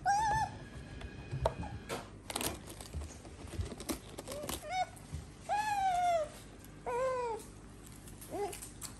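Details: A female pet otter eating two heads of lettuce indoors gives sharp, whistled squeaks that slide up and then down, about five calls spread over nine seconds, between crunching and rustling sounds.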